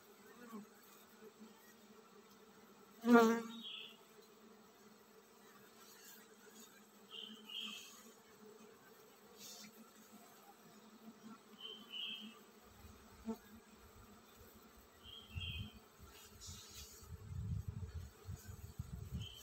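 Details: Honey bees in a colony about to swarm, a steady humming drone throughout, one loud knock early on, faint high chirps from other creatures, and low rumbling handling noise in the final seconds.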